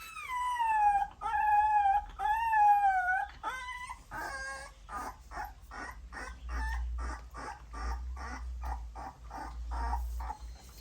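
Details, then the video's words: Puppies suckling their mother's milk: long high whines with a falling then level pitch, three in the first four seconds, then a run of short squeaky yelps about once a second, with faint low rumble behind. "Puppy suckling mother’s milk Puppies sound"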